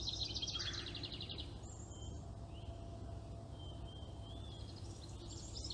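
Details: Baby chipmunk copying its mother: a rapid, buzzy high trill of closely packed notes for about a second and a half, then a lower short burst and several thin drawn-out whistles over a steady low outdoor hum.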